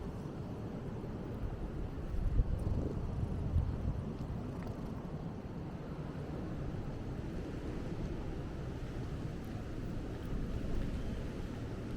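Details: Steady low rumble of an engine mixed with wind buffeting the microphone, with no animal voice anywhere in the twelve seconds.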